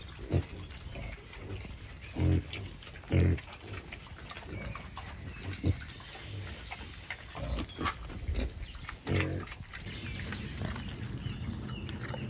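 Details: Wild boars foraging in a beech forest, a large tusked boar among them; a series of short, low, throaty grunts comes at irregular intervals, several clustered in the first half, over constant rustling and crunching of leaves.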